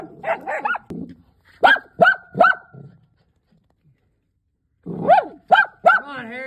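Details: Dachshunds catching their first groundhog give sharp, high yelping barks in quick bursts, with short pauses between volleys.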